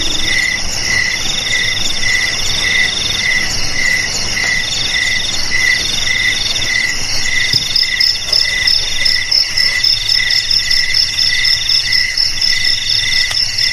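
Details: Several crickets chirping together, offered as a sound to drive rats away from houses, garages, storerooms and rice fields; a high trill layered with regular pulsed chirps repeating about twice a second, steady throughout.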